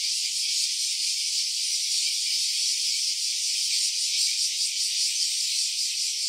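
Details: Continuous shrill buzzing of a cicada, captured in stereo with an OPPO Reno A phone; the high hiss holds an even loudness throughout, with a slight fluttering grain and nothing else audible.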